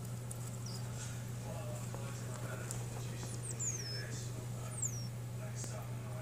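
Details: Gerbils meeting and interacting for the first time, giving a few thin, high-pitched squeaks that slide downward, scattered across six seconds over a steady low electrical hum, with faint speech in the background.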